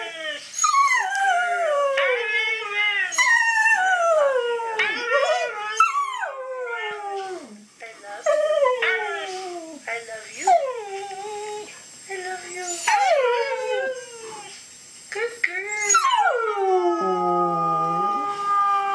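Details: Dog sounds while Louie watches Mishka talking-dog videos: a long run of rapid, wavering howls and whines, many bending down in pitch, with short gaps and a final held falling tone.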